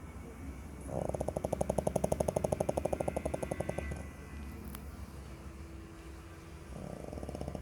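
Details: A five-month-old French Bulldog snores with a rapid, rattling buzz on each long breath.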